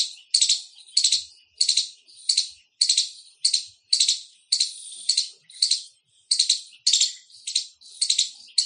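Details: An Indian squirrel gives loud, scratchy, high-pitched chirps, each a quick rattling trill, repeated almost twice a second in a fairly even rhythm with nothing else audible.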